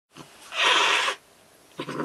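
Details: Pet cat named Ohagi, angry and worked up by a toy, lets out a sharp breathy hiss lasting about half a second, with a softer rasp before it and another brief huff at the end.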